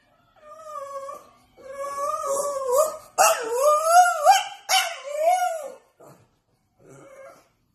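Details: Indoor French bulldog begging for Chinese food: a run of drawn-out, yodelling whines that climb and dip in pitch, some breaking into sharp rising yelps, then trailing off into brief quiet whimpers.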